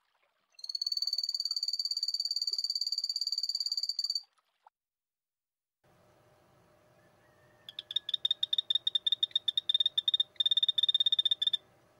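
A poison dart frog opens with a high, even buzz that holds steady for several seconds. After a pause comes a quick run of high, clicking chirps over a soft background hum.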